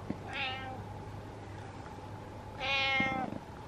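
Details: Pet cat giving two separate harmonic meows, one early and a longer one near the end, described as meowing out of horror, with a steady low hum between them.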